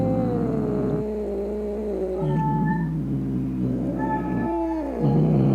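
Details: Angry domestic cat yowling to scare away rats, opossums and other cats; drawn-out wavering moans that dip and rise, broken into three long howls over about five seconds, with a low background hum.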